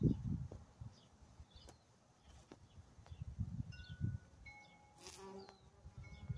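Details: Carpenter bee burying itself inside a large dragon fruit flower, giving low, droning buzz bursts that swell and fade irregularly, with faint high bird chirps and a brief tonal whistle in the background.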